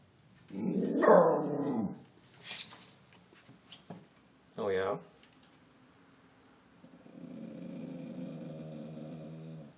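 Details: Alerting to a deer in the backyard, the dog Mingus lets out a long harsh growling bark, then short gruff sounds, ending in a lower sustained rumbling tone.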